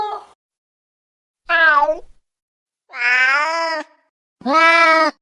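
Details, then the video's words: Cats meowing in a run of short and longer calls, bright and harmonic, some wavering in pitch, separated by gaps of about a second. "Cats Meow 10 Minutes of Cats Making Meow Sounds"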